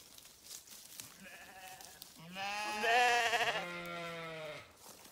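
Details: Sheep grazing on a farm, giving a long harmonic bleat of about two and a half seconds that rises in loudness and wavers in the middle, preceded by a fainter, shorter bleat; quiet background otherwise.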